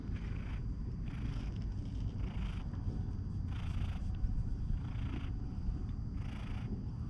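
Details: A stray cat resting on a person's lap at a shrine in Japan, recorded on a GoPro HERO8. A low, continuous rumbling purr swells in soft, breathy pulses about once every second.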